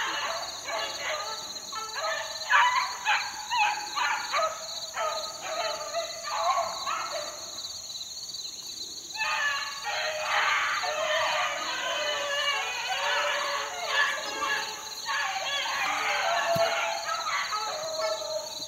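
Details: A group of 4-month-old beagle pups in the wild in 2013 bay in bursts of rapid, overlapping yelps and howls. The chorus briefly pauses midway, then resumes, over a persistent high electronic-sounding whine.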